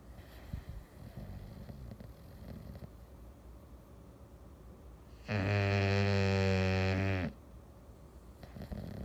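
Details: English Bulldog on a Sunday afternoon giving a single strong, droning snore of about two seconds with a rattling, layered tone, preceded and followed by soft breathing noises.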